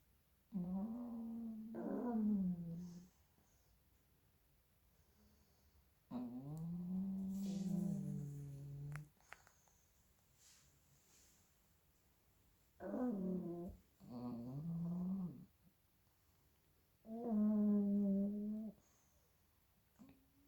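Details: Pair of sleeping pug puppies snoring very loudly: five harsh, nasal snores of one to three seconds each, with a droning low pitch that dips and wobbles, coming in pairs with quiet gaps between.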